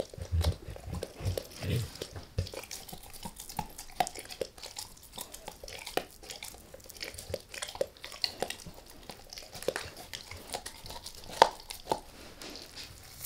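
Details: Max the dog gnaws a beef rib indoors, lightly at first then going all in; sparse crunching and biting clicks with wet chewing, scattered irregularly against a quiet room.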